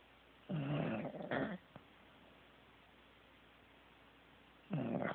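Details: Sleeping pet Corgi snoring indoors; two rough, breathy snorts close together, then a long quiet pause before another gravelly snore begins.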